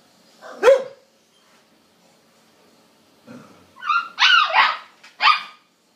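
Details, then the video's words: Siberian Husky puppy Lady, seeking friendship and play with a border collie, lets out one sharp yelp, then after a pause a run of warbling, whiny woo-like calls ending in a short yip. "Brave little talking Siberian husky puppy attempts to make"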